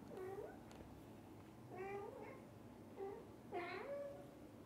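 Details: Meowing from a cat family, with the father cat staying beside the mother and her kittens; four clear harmonic meows, the last a longer two-part call that bends upward, amid faint indoor background noise.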